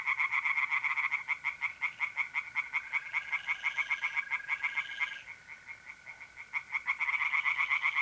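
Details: Pond tree frogs calling at night in mid-April, north-east Italy: quick, overlapping pulsed croaks that pause near five seconds then resume, accompanied by a level, unbroken mole cricket trill.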